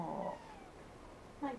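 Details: Simba, a house cat, meows at his owner, recorded by a helmet cam set on a love seat: one drawn-out meow trails off, then a second short meow follows after a pause.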